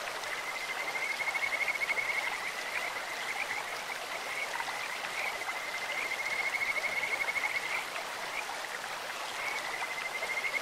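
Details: Kajika frog song beside a clear-flowing stream, a thin high trill that rises into bright whistled phrases, fades, and returns several times against steady rushing water.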